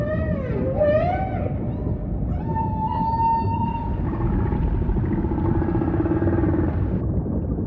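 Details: Humpback whale song over a steady low ocean rumble: a wavering harmonic moan dips and rises in the first second and a half, then a long flat whistled tone holds from about 2.5 to 7 seconds under fainter overtones.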